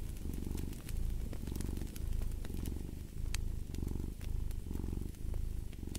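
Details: Cat purring near a crackling fireplace, a strong low rumble in clear rhythmic bursts, each lasting under a second with brief dips between breaths, while the fire snaps lightly in the background.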